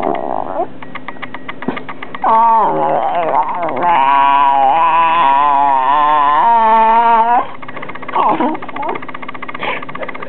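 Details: Taylor, a two-year-old female rat terrier, vocalizing indoors, said to be sharing her opinion; a long strained, groaning howl-like outburst with wavering rich harmonics, preceded and followed by shorter grumbling yips and whines.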